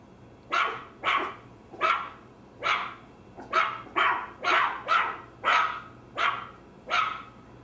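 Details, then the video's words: Maltese terrier giving a steady run of about eleven sharp, high barks, roughly one every half second to second, each short and bright, against a quiet low hum. "Maltese Terrier Dog Barking Sounds"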